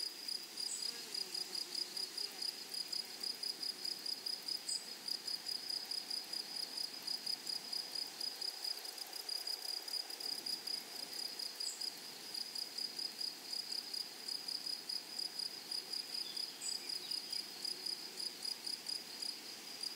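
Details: Grasshoppers stridulating in a flowery meadow: an unbroken train of short, shrill pulses at a fast, even rhythm, layered with a softer high buzz, over a quiet rural backdrop.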